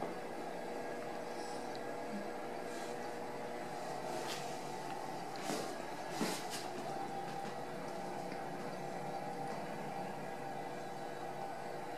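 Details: A constant indoor mechanical hum runs throughout, broken by a few brief clicks and knocks near the middle, with no animal sound.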